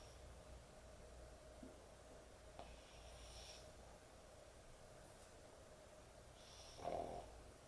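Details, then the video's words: Heavy-snoring dog asleep at bedtime: faint airy snore breaths, a couple of soft clicks, then a louder rasping snort near the end, all over a quiet constant room hum. "코골이 강아지의 취침시간"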